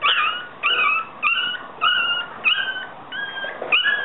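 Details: Yorkshire Terrier puppies whining: a run of high, tonal squeals, each flat or slightly falling, coming about every half second with short gaps, against a faint hiss.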